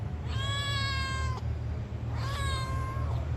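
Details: Domestic cat meowing in response while being talked to: two long, clear meows, each about a second, steady with a slight fall at the end, separated by a short pause; a low hum runs underneath.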